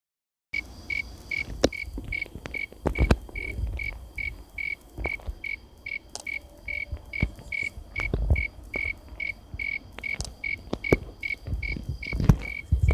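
A snowy tree cricket chirps in a clear, pure-toned rhythm, each short trill repeated about twice a second with metronome regularity. Low rumbling wind noise and occasional knocks sit underneath.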